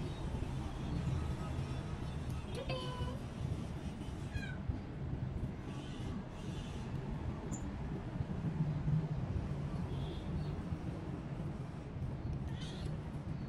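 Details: A cat named Jupi, still eating little and taken to a shelter for relaxing, lets out two clear rising-falling meows in the first seconds. Then steady low rumble and a person talking to her fill the rest.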